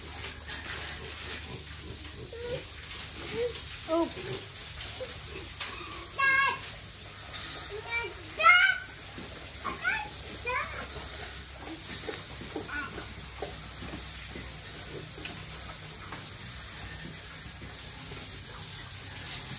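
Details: Pigs raised for sale on a family farm with twenty years of experience, fed regularly: short, high, tonal squeals that rise and fall, scattered through the recording with louder bursts near the middle, over a constant hiss.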